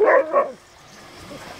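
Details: A Dogo Argentino at a swimming pool lets out two quick, sharp barks in rapid succession, followed by near silence.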